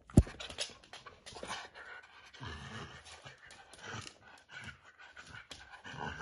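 A corgi puppy growls in play, a low, breathy rumble broken into short bursts with pants between. The growls come in uneven pulses as the pup tugs, with a faint knock early on.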